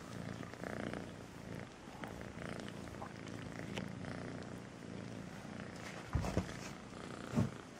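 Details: Kitten Melissa purring, a soft low vibrating rumble running on in cycles, broken near the end by two short louder bumps or handling noises.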